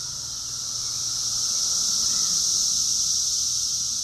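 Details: A cicada invasion in a yard: deafening, a steady, high, hissing drone that swells slightly and never breaks.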